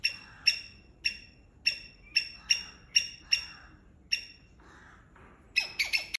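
A palm squirrel gives sharp, high chips about every half second, ending in a quick rattling burst.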